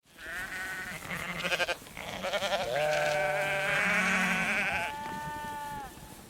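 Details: A herd of sheep bleat over one another with wavering, nasal baas of different pitches.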